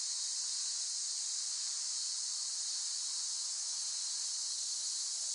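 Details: Cicada song: a steady, unbroken high-pitched hissing drone holding at one level throughout, with no pauses and no other sounds.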